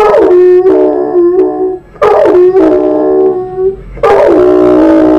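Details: Harley the dog howls along to TV jingles: three loud bursts, each opening with a sharp rising yelp that slides down into a steady held tone, repeated roughly every two seconds.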